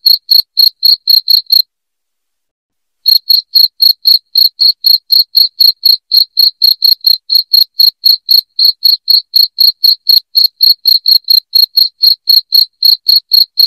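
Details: Loud cricket chirping played to drive rats out of the house: bright, high, evenly spaced pulses about four per second, with one short pause near the start and nothing else heard.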